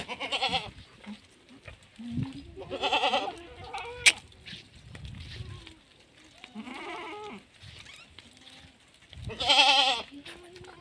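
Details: Female Sirohi goat at a goat farm in Rajasthan, India; loud wavering bleats with a quavering tremolo, repeated several times across the stretch, with people talking nearby.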